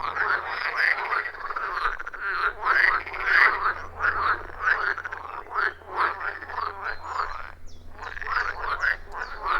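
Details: Frogs calling around a wild forest pond, recorded on an iPhone 14 Pro plus Shure MV88+; rapid, irregular croaks near a hundred per minute from overlapping frogs, rhythmic and dense, low hum in the background.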